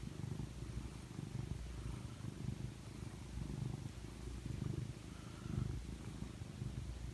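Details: Steady low purring from Bocelli, a house cat curled up in an owner's arm at snuggle time; rumbling vibration with soft rhythmic surges, slightly louder toward the end, otherwise quiet indoors.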